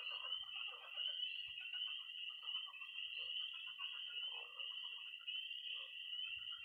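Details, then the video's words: Pond chorus after dark in early spring, Missouri: bright continuous peeping and a level high trill, with short mid-pitched croaks dotted irregularly beneath and a couple of dull low taps. "Relaxing sounds. 20 minutes of toads and frogs, sound only!"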